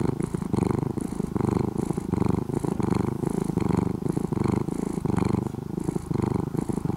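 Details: Deep, vibrating purr from a brown-and-white cat that began as a stray kitten near the house and is now nearly domesticated; the throbbing rumble surges in regular breaths, slightly faster, about every three-quarters of a second.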